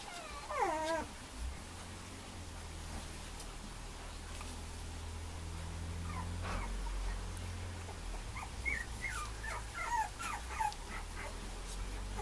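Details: Male Mame Shiba Inu puppy: one sharp falling whine at the start, then soft scattered squeaks and yips later, over a steady low mechanical hum.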